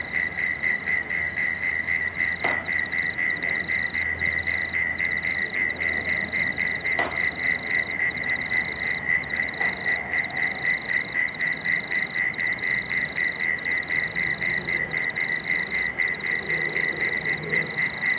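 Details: Frogs calling at dusk on the Cooks River in Marrickville, with bats flying overhead: a dense, steady chorus of rapid, pulsed clicking notes, several overlapping callers repeating about four times a second, with faint low traffic rumble beneath.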